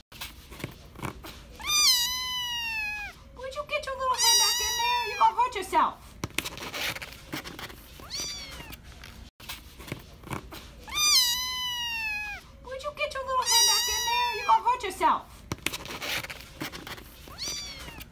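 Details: Small kitten kept warm in a cardboard carrier box with a blanket at a Philadelphia animal shelter, USA, in September, meowing repeatedly in loud, drawn-out, bending wails, often in pairs, with soft human speech and rustling in between.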